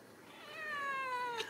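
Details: Ragdoll kitten raised in a home cattery in central Kansas, kept without cages, gives a single drawn-out meow lasting about a second, its pitch gliding gently downward, in a quiet indoor room with a person talking nearby.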